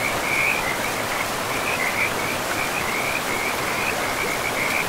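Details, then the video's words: Frogs calling at a river in untouched, mossy forest: an unbroken, high-pitched pulsing trill that wavers slightly as it goes, laid over a loud, steady rush of river water. "River and Frogs sleep sounds"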